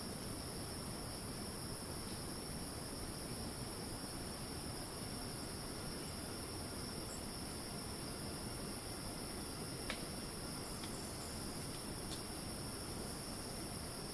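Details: Cicadas screeching in rainforest at Ton Pariwat wildlife sanctuary, north of Phang-Nga, Thailand: a steady, unbroken high-pitched drone in two bands, over a constant broad rushing hiss, with a few brief sharp clicks near the end.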